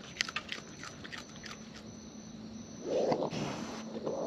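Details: Wild raccoons eating close up in the wild: sharp crunching, clicking chews during the first two seconds, then a low, rough, growly murmur builds and continues to the end over a steady faint hum.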